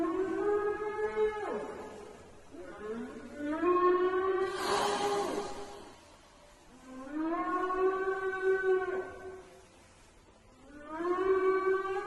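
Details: Whale calling in the sea: tonal, harmonic moans that rise and then hold steady, about two seconds each, with pauses between them. A short broadband whooshing burst comes midway.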